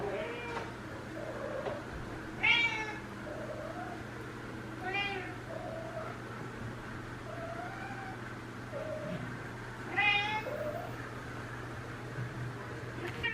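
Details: A one-and-a-half-year-old female Ragdoll, Elsa, on day three of her first heat, voices sweetly at a neutered male housemate: soft low trills alternating with three loud, ringing meows spaced several seconds apart, in a multi-cat household.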